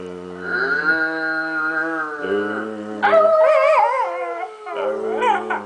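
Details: Little dog vocalising with its owner: a long, steady, howl-like tone, followed by rising and falling warbled yowls.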